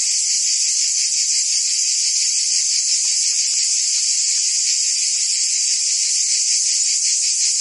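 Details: Cicadas singing in summer in Provence, France: a dense, unbroken high buzzing hiss that holds steady throughout, with faint rapid pulsing in the lower band and no other clear sounds.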